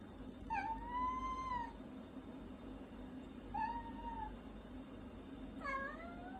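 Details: Indoor pet cat meowing as its owner eats a meal; three separate meows spaced about two seconds apart, the first long and level, the second shorter, the last sliding upward, with a constant low hum behind.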